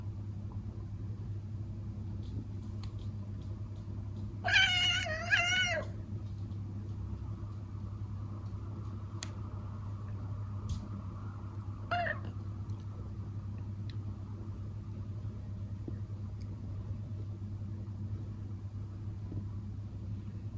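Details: Watching a bird beyond the window, Elsa, a traditional Siamese cat in a Dutch home, gives a loud, rapid, wavering chatter lasting just over a second. After a long pause comes one short, softer chirp, all over a steady low room hum.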